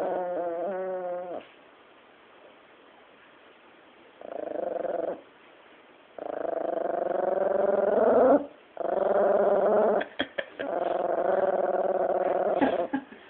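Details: Bee, a female chihuahua, growls while guarding her bone as someone tries to take it indoors: sustained rumbling growls in several bouts with short pauses, some rising into whiny tones, and a few sharp clicks near the end.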